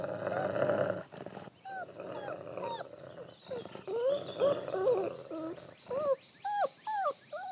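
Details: Grumpy wolf dad Lighthawk with his seven adorable, relentless pups; a harsh growl first, then a busy mix of snarling and many short, curving whimpers, ending in evenly spaced yelping whines about every half second.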